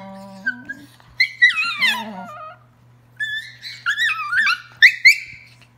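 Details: Two pet dogs in wild indoor play, giving a run of high, quavering squeals and whimpers that climb and dip in pitch, several bursts separated by brief quiet, with a steady low hum in the background.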